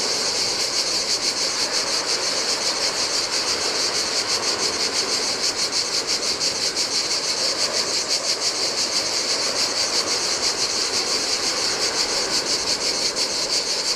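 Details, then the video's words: Cicadas sing in the summer heat beside the Adriatic Sea on a deserted Greek island beach. Their dense, shrill buzz pulses rapidly and without a break, while soft surf washes steadily over the sand beneath it. "Cicadas by the Sea - Ocean Waves & Cicada Sounds"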